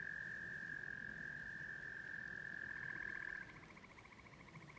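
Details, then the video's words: Tree frogs calling in spring rain at an off-grid prefab house: a continuous high trill breaks off near three and a half seconds into rapid pulsed notes at two pitches, repeated quickly, with low background rumble. "the tree frogs sing!"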